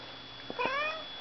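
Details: Single drawn-out cat meow indoors, a bright tonal cry that rises and then slowly falls away, preceded by a couple of soft clicks, over a low room hum.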